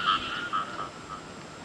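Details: Frogs calling in the rain: a few short, mid-pitched tonal notes repeated irregularly, fading over the clip, above a steady hiss of rainfall.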